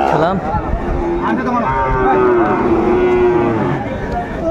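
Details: At Ambari haat in Netrokona on 8 November 2024, a Sahiwal bull bought by a farmer gives a long, level, groaning moo lasting several seconds, set against people talking nearby.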